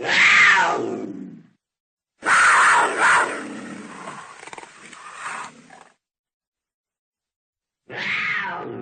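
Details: Cougar roar: harsh, raspy screaming bursts, a long noisy hissing stretch in the middle, then a final shorter wailing call after a silent pause.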